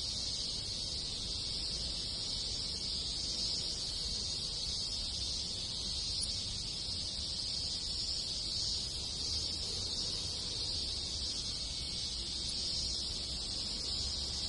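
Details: A chorus of cicadas in the Japanese countryside during summer, with other insects: an even, high buzzing wall of sound lasting the whole stretch, never breaking, over faint low-frequency background noise.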